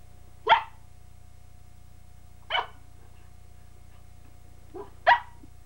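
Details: Pembroke Welsh Corgi puppy indoors while learning to use stairs, giving three short sharp barks spaced about two seconds apart in a quiet room, with a steady low hum underneath.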